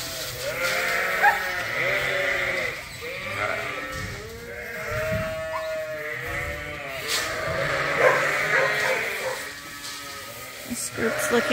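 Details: A crowd of lambs bleats almost continuously at feeding time on a sheep farm, quavering, overlapping cries rising and falling at different pitches, with knocking and shuffling sounds among them.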